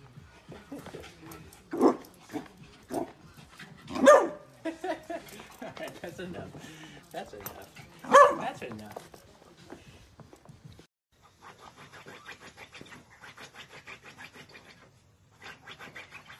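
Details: Dachshund, a sausage dog, giving two sharp, ringing barks about four seconds apart amid a person's talking, with earlier yips and softer rustling and scratchy noises in the closing seconds.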